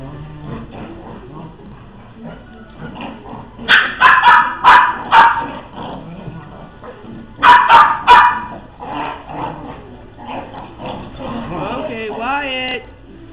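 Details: Dogs at play give two bursts of loud, rapid barks, each a string of about four or five sharp yips. Low grumbles come between them, and a rising and falling whine follows near the end.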